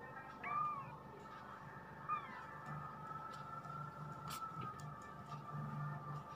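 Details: Twenty-day-old kampung kittens, four littermates born 31 August 2020 in a house attic in Indonesia; two short bending mews about a second and a half apart, then steady hum with faint clicks and low rumbling.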